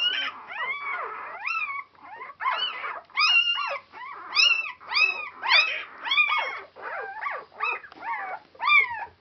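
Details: Newborn Border Collie pups, four days old, from a Clannad Border Collies litter on Super Sunday 2012, repeat bright arched squeals and whines in quick succession, many overlapping in a busy chorus.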